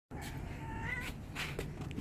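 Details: Domestic cat throwing a temper tantrum while being carried back home at night after wanting to play outside in the dark; a drawn-out, wavering, rising meow-like wail over a steady low rumble.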